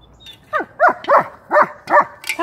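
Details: Pet dogs playing at home with found objects, pine cones and a battered bowl from the wooded back yard; a run of five short yipping barks about every third of a second, then a higher yelp at the end.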